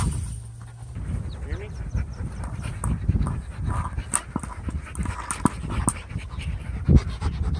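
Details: Labrador Retriever playing with his big orange ball, breathing in quick, breathy, rhythmic pants amid thumps and handling noises, with a person's voice in the background.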